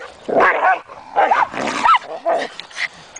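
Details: Two pet dogs fighting over a toy, one giving harsh barks and snarling yelps in four rough bursts over about three seconds, each burst lasting under half a second.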